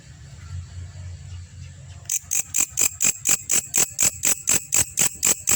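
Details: Belalang kecek grasshopper, master recording for training champion birds: two seconds of quiet low hum, then abrupt high rasping pulses start, repeating regularly about four per second.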